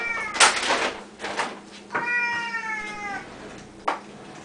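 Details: Hungry Siamese cats at feeding time indoors, including loud Samuel: a brief meow at the start, then a long, loud meow slowly sliding downward, with sharp knocks and cupboard bangs around it.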